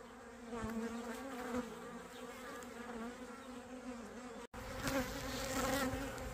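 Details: Honey bees from a small swarm being caught and boxed, a dense steady buzzing hum with layered droning tones throughout, a brief cut near the end, then the buzzing resumes slightly louder.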